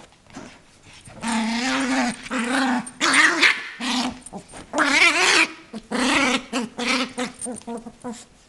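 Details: A small 8-month-old female Yorkshire terrier growls in long, wavering, raspy bursts while playing with her toy, trying to sound scary so her owner can't take it.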